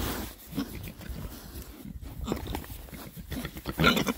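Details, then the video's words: Rare breed Oxford Sandy and Black pigs, six boys, on a winter forage between storms; soft low grunts and snuffles with rustling, ending in a louder burst of oinking. "rare breed Oxford Sandy and Black, happy pigs, winter forage. 6 boys. ASMR oinks."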